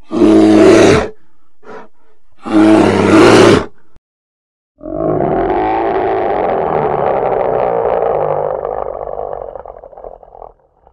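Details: Polar bear sounding two short, harsh bursts of roaring, then after a pause one drawn-out, steady growling roar lasting about six seconds that slowly fades away.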